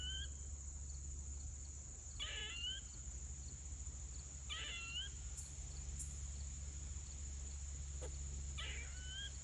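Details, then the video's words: Squirrel giving repeated screeches: short rasping bursts with a rising whistle at the end, spaced two to four seconds apart, alongside a few faint clicks and a steady high whine. "Squirrel is making screeching noise"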